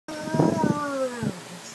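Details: Seven-month-old Alaskan Malamute talking: a drawn-out, moaning, howl-like tone that starts fairly high and slides slowly downward for over a second, then ends in a short low grumble, with a brief human voice underneath.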